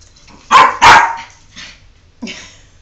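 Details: Jordan, a pet dog who does not want a bath, lets out two sharp, high-pitched yelping barks close together, then a quieter whine and one final short yip.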